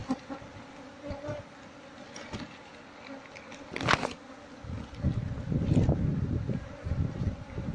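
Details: Asian honey bees (Apis cerana) nesting in a traditional house in Seluma, with the colony being moved into a hive box while the queen is sought among the clustered bees. A low droning hum builds after five seconds, with knocks and rustling from handling.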